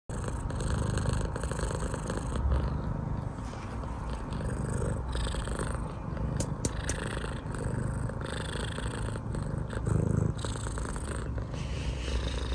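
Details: British Longhair cat, blue colorpoint, purring very loudly indoors; a steady low rumbling purr that swells and fades with each breath, continuous for about twelve seconds with faint light ticking noises.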